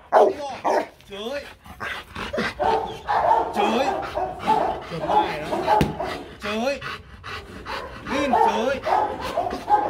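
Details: Rottweiler Marvin barks on command during a first light-hearted training session. Quick, clipped barks are mixed with almost constant talking from the handler giving cues.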